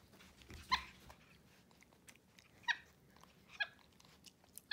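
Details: Pet capuchin monkeys MonkeyXander and Ohana indoors on a Sunday morning, eating oatmeal breakfast in bed; three short, high, harmonic chirps spaced about a second apart, with faint chewing and room noise.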